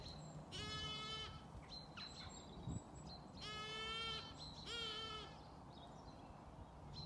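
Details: On a farm in County Kilkenny, Ireland, a young Zwartbles lamb bleats loudly and repeatedly, a wavering, nasal cry calling for its mother while the ewes feed and ignore their young.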